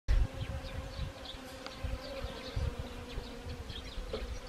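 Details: Honeybees working Siberian chrysanthemum flowers in autumn, Gangwon Province, Korea, 1 October 2020: a steady low droning hum with a second tone above it, and soft low thumps and rumble in the background.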